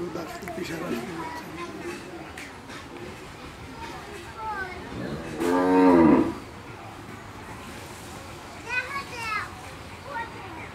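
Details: Friesian cow, calved for the second time and kept with her heifer calf on a dairy farm, gives one loud, rising and falling moo lasting under a second amid people talking and children's voices.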